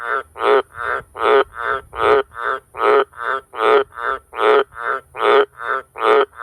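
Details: Wild Australian green tree frog (White's tree frog, Litoria caerulea) near farm sheds and cattle water troughs where they breed, giving deafeningly loud, deep, rasping croaks in a steady, rapid series.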